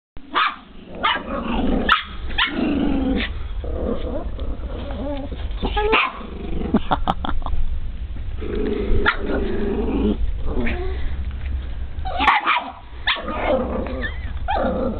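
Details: A male dog, not charmed by little critters, barks and growls in sharp, noisy bursts at irregular intervals, with some louder clusters, over a steady low rumble.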